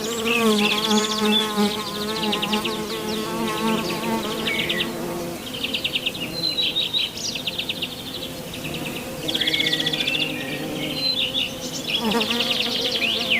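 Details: Western honey bees on lavender flowers: wings give a steady, wavering low hum, with small birds chirping above.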